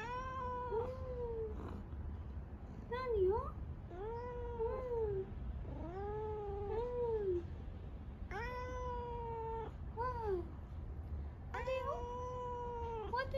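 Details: Soft-voiced male tabby cat in a short chat with its owner, giving a steady run of about a dozen tuneful meows. Some arch up and down, others dip and then climb, with brief pauses between them.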